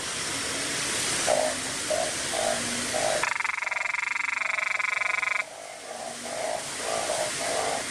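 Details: Small narrow-mouthed frog with a loud voice, filmed close up on a Nikon camera, puffing up its body. It gives one loud, harsh, rapidly pulsed, buzzing call lasting about two seconds over a steady chorus of other frogs calling nearby.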